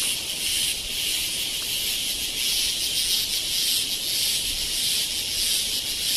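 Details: Cicadas in Kodaikanal and Thekkady, India, in 2014 produce a continuous, high-pitched electric buzz that holds steady without pause.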